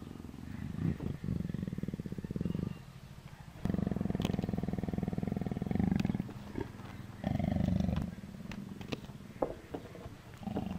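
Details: Nuzzling Persian leopard purring in repeated deep, vibrating pulsed bursts of two to three seconds each, rising and pausing rhythmically, with soft human murmurs and faint clicks in the gaps.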